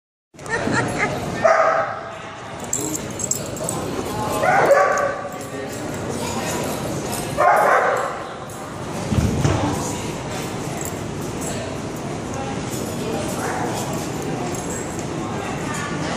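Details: Clodagh, a six-month-old female Otterhound puppy weighing over 70 lbs, barks while playing with bigger dogs. Four loud, harmonic barks come about every three seconds over steady background noise and murmuring voices.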